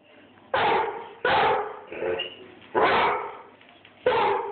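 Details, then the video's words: Airedale Terrier barking at the person filming, recorded on a phone: four loud, harsh barks spaced roughly a second apart, with a quieter bark between them. "THE AIRDALE BARKING AT MOI"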